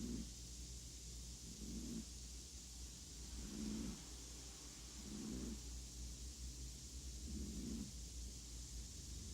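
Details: Appleboo, a chihuahua, snoring: soft low rumbling snores repeating roughly every two seconds over a steady hiss of background noise and a low hum.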